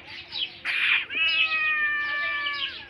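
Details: Hungry pet cat giving a long, slightly wavering meow that holds steady then fades, preceded by a short harsh burst, with a low hum underneath.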